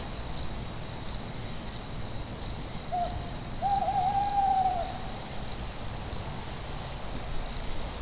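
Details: Night crickets give quick high chirps roughly every half second above a steady insect hiss, while a separate lower, hollow, drawn-out call sounds twice midway, the second longer.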